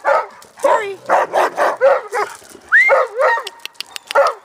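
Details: Alaskan Malamute producing a rapid run of short, yodel-like woo bursts, roughly one every third of a second, with a swooping upward whine midway and a few clicks and knocks in the background.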